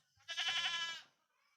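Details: A single pet goat behind a house, visited at night, lets out one strong quavering bleat of under a second, rich and nasal, with a low hum underneath and quiet surroundings.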